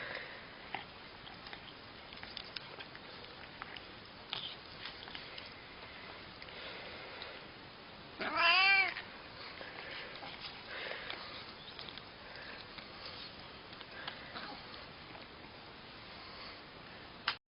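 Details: Cat making funny noises: one brief, bright meow with a rising then falling pitch midway through, otherwise low background hiss and faint ticks.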